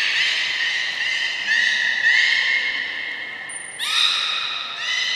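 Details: Captive beluga at Port of Nagoya Public Aquarium, 3 November 2023, around feeding and the play time that follows. Drawn-out harmonic squeals run one after another, a brief thin high note cuts in, then a sharp rising squeal.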